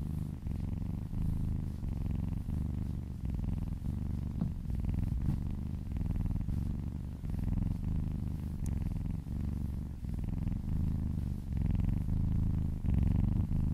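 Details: Purring kitten getting a massage close to a person's ear; a sustained low, buzzy rumble pulsing with each inhale and exhale, steady throughout with a faint high tick partway.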